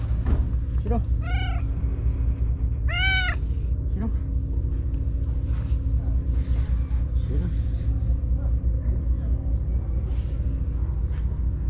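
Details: Shiro, a stray white cat from the tetrapods, calls out lively after being gone all day. Two strong, ringing meows come close together early, with fainter short mews nearby. Quiet stretches follow over a constant low background drone.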